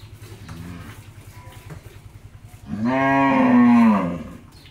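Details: Jersey–Mundi cross dairy cow that has just calved for the first time, kept with her bull calf on a farm in Pabna, Bangladesh; soft low rumbling, then one loud harmonic moo lasting about one and a half seconds, level before tailing off.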